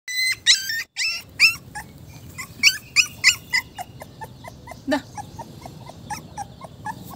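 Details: Small puppy crying for its mother because it is hungry: sharp, high-pitched squeaky whimpers and yelps in quick irregular bursts, loud at first, then fainter and rapid, over a low background hum.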